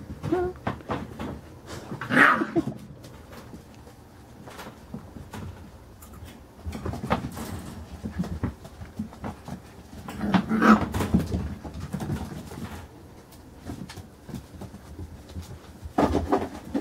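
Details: Carolina Dog puppies, five weeks and four days old, playing indoors: a few short, high whimpering yelps rise out of steady scuffling and shuffling noises, with a woman's voice speaking softly nearby.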